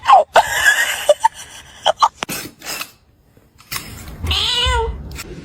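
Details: Pet cat giving a single arched meow near the end, rising then dropping in pitch, after a stretch of clicks, bumps and brief voices in a home setting.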